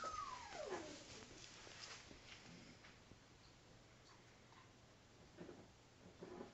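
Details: Five-week-old female Alaskan Malamute pup playing with her father gives one brief whine that slides steeply downward from high to low pitch, then only soft scuffling and faint rustles follow indoors.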